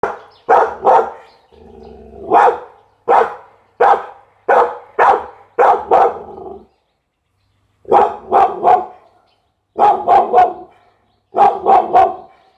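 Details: Pit Bull barking in loud, sharp bursts, mostly grouped in twos and threes with short silent gaps between volleys, energy centred mid-range with bright harsh edges.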